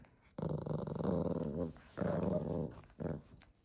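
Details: Pomeranian dog giving a low, rumbling, harmonic growl in three bursts: two long ones of over a second each and a short final one, separated by brief pauses.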